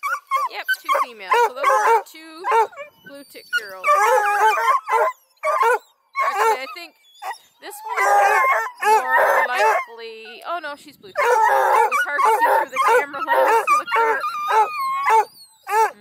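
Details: Group of registered hounds (Bluetick, Redbone and black-and-tan coonhounds) at a breeder's kennel near Kingston, Ontario, Canada, trained to run deer, moose, coyote, rabbits, coons and wild cats. Loud drawn-out bays and howls overlap, with a person talking between them.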